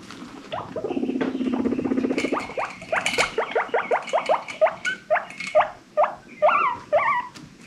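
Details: Pet guinea pig from a rescued herd, happy wheeking: a low buzzing purr-like rumble, then a string of loud whistled wheeks rising and falling, about two per second, growing higher and more tonal toward the end.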